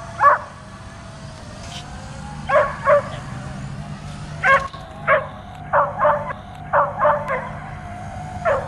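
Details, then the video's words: Continuous barking from a dog jumping at an overhead drone: a dozen punchy barks, some in quick pairs, separated by short pauses, with a persistent high motor whine and low rumble underneath. "DOG BARKING AND JUMPING AT DRONE"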